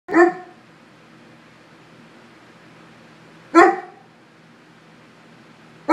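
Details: A Swiss mountain dog barks at his own portrait, giving deep single barks spaced a few seconds apart.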